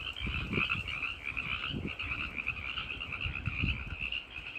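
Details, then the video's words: Night chorus of male tree frogs calling for females, a steady wall of fast, rattling pulsed notes from many frogs, broken by repeated low thuds throughout. "The Sound of Tree Frogs in the Night!"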